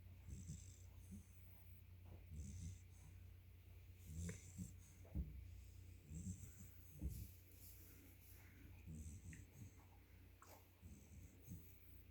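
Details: Yellow Labrador Retriever puppy asleep, snoring softly: low, breathy snores recurring at uneven intervals roughly every two seconds, with faint wheezy hisses between them in a quiet room.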